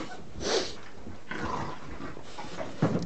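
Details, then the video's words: Puppies playing indoors in a small room, one tugging at a bone: scuffling and snorting noises, a soft huff near the start and a short low growl at the end, with faint background murmur. "Our puppies playing"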